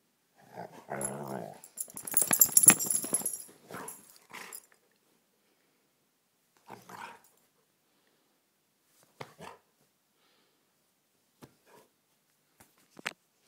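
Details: Pet dog during rough-housing play in a small room: a throaty growl and a loud noisy scuffle-like burst in the first four seconds, then scattered brief grunts and clicks separated by quiet gaps.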